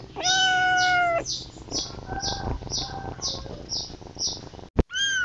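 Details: Kitten calling for its mother, opening with one long, level meow. Softer, shorter cries follow, then a sudden click and a final rising meow, all over a busy background of rapid high chirps.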